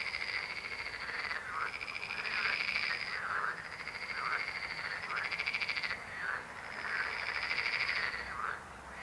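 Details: Frogs croaking in a dense chorus: long, pulsed, rattling trills with a bright buzzy edge, swelling and fading in overlapping waves, with short drooping notes between them.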